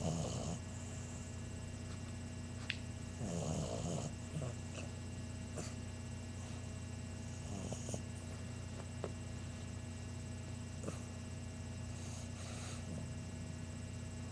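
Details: Sleeping English Bulldog puppy Chunk, 11 weeks old, snores in rough, breathy bursts at the opening, around three to four seconds and again near the close, against constant low hum and scattered small clicks.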